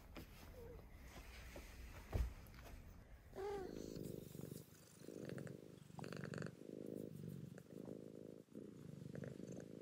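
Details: Two pet cats, Mouse and Remi, purring after a tuna treat they go crazy for; a steady low rumbling purr fills most of the clip after a brief squeak, with a person's voice and household noise earlier.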